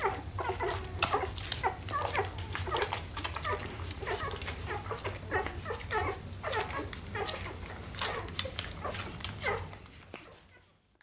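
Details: A litter of Rhodesian Ridgeback puppies whimpering and yipping indoors, dense overlapping squeals and short cries about ninety-five a minute, mixed with shuffling, fading out near the end.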